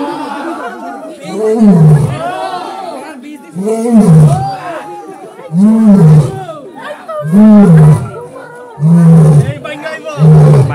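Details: Captive Asiatic lion at Sepahijala Zoological Park in Tripura, India, giving a steady series of five or six deep, rounded grunting roars about two seconds apart, with visitors chattering continuously in the background.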